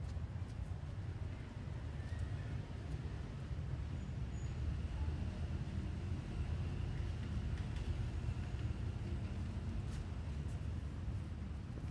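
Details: Steady low rumble of passing vehicles and road noise outdoors for the whole stretch, with no animal calls.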